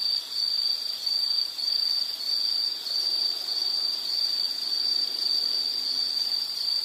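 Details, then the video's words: A continuous high, shrill insect trill, cricket-like, holds one pitch with a slight waver in loudness roughly every second, over soft natural background hiss. "Nature Sound of nature sounds scenery L · insect"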